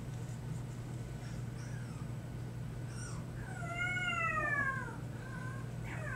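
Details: A new puppy's nighttime lion-cub-like cries, recorded in March 2008: after a quiet start, one long tonal whine bends up then down, followed by fainter short squeaks, over a constant low electrical hum.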